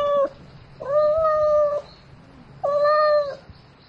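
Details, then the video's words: Domestic cat calling for a mate at night: three steady, level meows, one short then two longer, about a second apart, each a clear tonal wail with rich harmonics in a quiet setting. "Tiếng mèo kêu Gọi Bạn Trong Đêm Meo Meo Từng Hồi"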